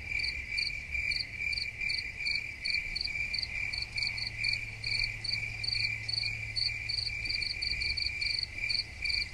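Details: Crickets chirping in a steady chorus, bright ringing pulses repeated roughly two to three times per second over a continuous high trill, with a faint low hum underneath.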